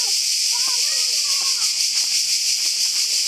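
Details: Cicadas so loud that little else can be heard, on a secret path up a mountain near the sea. A continuous high, sizzling buzz with faint fast pulsing covers people's voices talking in the background.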